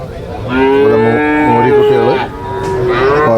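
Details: Domestic water buffalo calves for sale at the Cholakkal market in Payyanad, Manjeri, Kerala: a loud, long, harmonic moo that wavers and dips midway, then a second rising bellow, with faint market noise behind.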